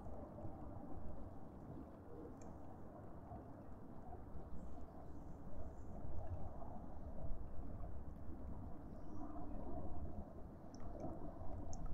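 A steady low rumble of wind or distant traffic, with no animal calls.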